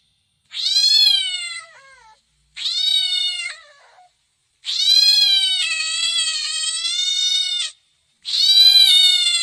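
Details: Domestic cat meowing four times at irregular intervals, two short falling calls, then a sustained three-second wail and a final loud meow, all clear and harmonic against silence.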